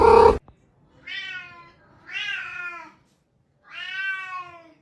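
A domestic cat gives three drawn-out, tonal meows, each about a second long, spaced by short pauses.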